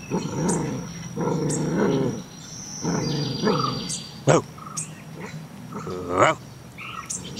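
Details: Black Belgian Shepherd Groenendael pup, 2.5 months old, in a morning talking session: several rough, harmonic growling bursts of about a second each, separated by short pauses, with sharp clicks and a brief high whine mid-way.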